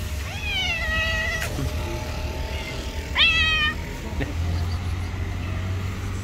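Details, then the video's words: Two street cats that hate each other meet and fight; two tense, wavering meows with rich harmonics, the second higher and shorter, over a low steady rumble of traffic. "A fight broke out when two cats who hated each other met"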